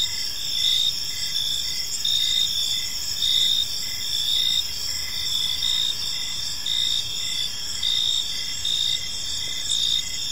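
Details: Gentle chirping of crickets at evening in a park, a dense wall of high buzzing trills with periodic swells in loudness and a lower pulsed chirp ticking regularly beneath.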